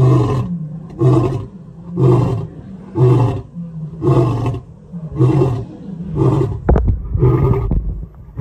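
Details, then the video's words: Male lion giving a series of short, deep grunting roars about once a second, regular and rhythmic, with a brief rattling noise near the end; one of three males compared for loudness. "Which Lion has the LOUDEST ROAR!"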